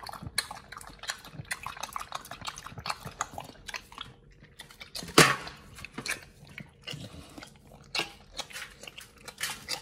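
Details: Pit Bull crunching through raw food and green-lipped mussels, sharp biting crunches and gnawing clicks scattered irregularly, with a loud crackling bite near the middle and quieter pauses between mouthfuls.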